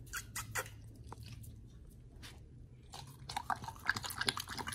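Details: Two dogs, Oli and nomy, eating raw meat on a raw-food prey-model diet indoors; irregular wet chewing and crunching bites, sparse at first and then denser, with quiet room noise between bites.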